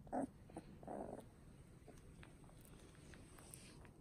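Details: Third puppy of a litter, a young male, giving two short, bright yips near the start, then only low indoor background hum and faint rustling for the rest.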